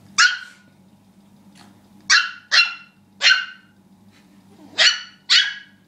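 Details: Rookie the dog, worked up about a pig, barks loudly and harshly, six sharp barks, mostly in pairs, about one every second, over a faint low hum.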